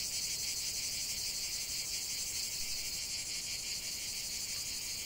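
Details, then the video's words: Cicadas chant together in nature, producing a sharp continuous high whirring with fast pulsations, dense and even from start to finish with no other animals heard. "45 min de chant des cigales"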